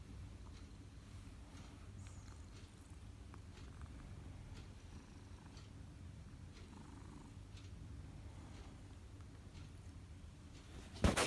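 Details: Purring cat while massaging, a quiet low rumble running steadily with faint scattered clicks, ending in a sudden sharp bump.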